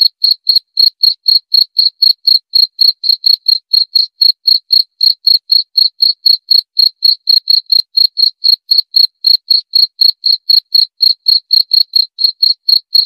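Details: A long, unbroken run of cricket chirps: bright, thin, metallic pulses at a regular pace of about four each second, all the same pitch, on a completely quiet background.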